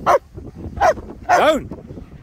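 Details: German Shepherds Nico and Zeeva at play in sunny Scottish Borders, Hawick: three loud barks, two short and clipped, the last longer with a rising-falling howl-like arc, a person speaking briefly nearby.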